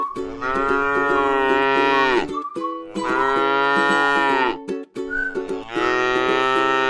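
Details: Three sustained moos from a tame cow eating grass in a rice-field pasture, each lasting around two seconds with brief pauses between, set against cheerful ukulele-like music.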